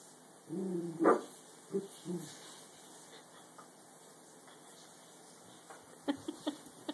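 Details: Dachshund curious about a clothes basket gives a whiny yelp that climbs into one sharp bark, followed by two brief whimpers, then quiet except for light tapping and clicking sounds near the end.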